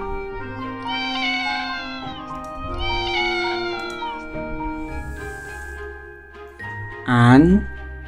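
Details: Pet cat meows presented for toddlers learning animal names: two drawn-out, rising-then-falling harmonic meows, then a short sharper cry near the end, over children's background music and a spoken word.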